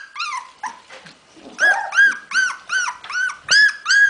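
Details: Hungarian Vizsla puppies on 15 February 2011: a run of clear, arched, high-pitched whines, about seven in quick succession after a few softer squeaks, rising then falling like short plaintive cries.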